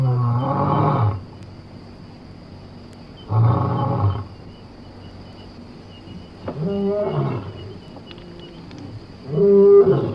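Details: Lion, from Somali wildlife, giving deep, harmonic roaring bursts about a second long, repeated roughly every three seconds. The later calls bend upward and then fall away, with quiet gaps between them.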